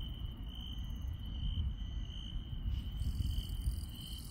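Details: Night in the countryside with grass insects: a sustained high trill with slight pulsing, sparse very high tones joining after the midpoint, and heavy low-frequency rumbling noise throughout.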